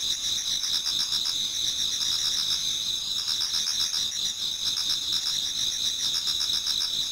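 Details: Many autumn insects singing toward dawn in a Japanese garden: steady high trilling bands layered with pulsed chirping, several callers overlapping continuously with no gaps, no other sounds standing out.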